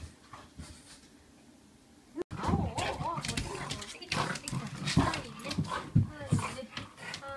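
A French Bulldog greets its owner with warbling whines and grumbles, with a person talking.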